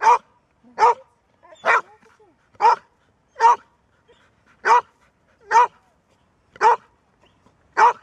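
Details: A female Golden Retriever that rarely barks barks steadily, single sharp woofs spaced under a second apart.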